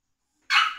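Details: Tuppence, a female Biewer Terrier puppy, being brushed and getting her microchip implanted, gives one short, sharp, high-pitched yip with a bright, harmonic tone, lasting about a third of a second after a moment of silence.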